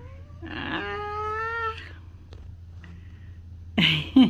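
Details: Pet cat kept indoors, giving one drawn-out, slightly rising wailing meow lasting about a second, then quiet; a couple of sharp knocks or clatters follow near the end.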